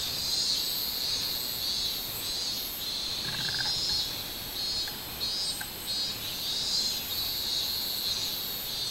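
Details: Minmin cicada song recorded 24 July 2016, a continuous high-pitched whirring that throbs in rhythmic waves, with a brief lower chirping note breaking in around the middle.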